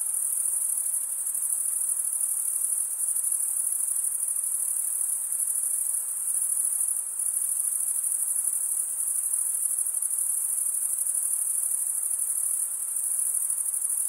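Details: Long steady wall of cricket stridulation, made by males running one wing across the toothed vein of the other, with a constant high-pitched shimmer and only slight dips in loudness.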